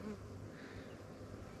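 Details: Honey bees from a newly captured swarm, fanning at the new hives in a beekeeper's apiary with Langstroth and Warre hives; a low, steady droning hum with a few faint higher tones near the start.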